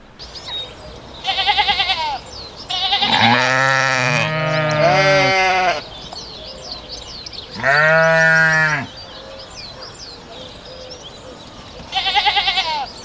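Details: Several sheep bleat in turn and partly overlap. There are quavering short baas, a pair of longer calls sliding down in pitch, then a clear single bleat and a final wavering one. Small birds chirp faintly behind.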